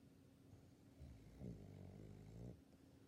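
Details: Sleeping sixteen-year-old female Labrador Retriever, El, giving a soft, low, drawn-out snore lasting about a second and a half, with a faint steady hum indoors.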